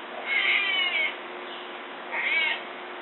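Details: Amur tiger cubs, newborn triplets nursing beside their mother in a zoo denning area watched by remote camera; two drawn-out, high whining mews about two seconds apart over steady hiss.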